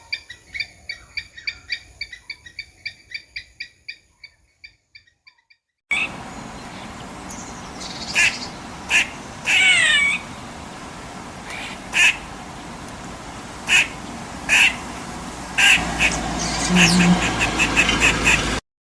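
A squirrel gives a rapid run of harsh chattering notes, then short high chirps about once a second.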